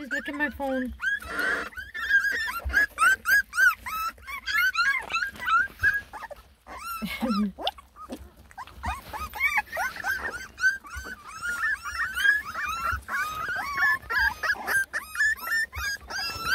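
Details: Whining chorus from Rensie's litter of ten lemon and tricolor Beagle puppies complaining while trying food for the first time: many overlapping high, arched whimpers and squeals, rapid and continuous, with a woman's voice, laughter and music mixed in.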